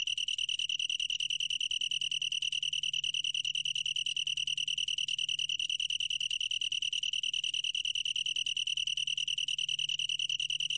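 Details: A long-tailed tree cricket trills without a break. Its bright, high note throbs in fast, regular beats, and only a weak low hum lies in the background.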